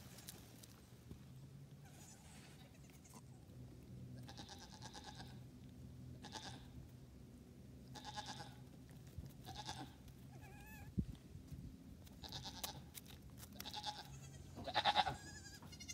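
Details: Goats on a farm where a newborn kid was adopted by another nanny: scattered soft bleats at varied pitches, some high and wavering, ending with a louder quavering bleat near the close, over low humming background.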